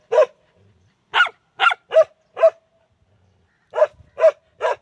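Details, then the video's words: Dog barking: single loud sharp barks, a pair then a trio, a pause of over a second, then three more barks, clean background otherwise. "Dogs Barking and Howling"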